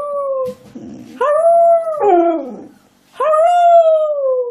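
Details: Pet dog coaxed by its owner to say hello, giving three long, smooth, slightly wavering howls with brief pauses between, the middle one sliding downward; little background sound.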